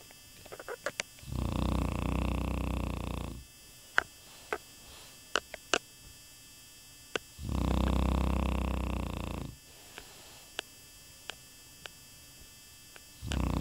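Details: Happy Shar Pei asleep, snoring in slow cycles: low, buzzy, vibrating snores lasting about two seconds, repeating roughly every six seconds, with soft ticks and small noises in the quiet gaps.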